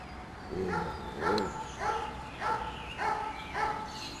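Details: Five-week-old Doberman puppies yapping, with high, harmonic little barks repeated roughly every half second to second in a steady, bouncy series against quiet background hiss.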